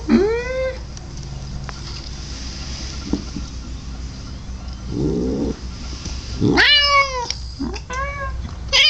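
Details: Domestic cat producing a weird noise: a clear rising meow at the start, a short growly burst midway, then several loud, harmonic-rich meows and a caterwauling cry in quick succession, over faint background hum.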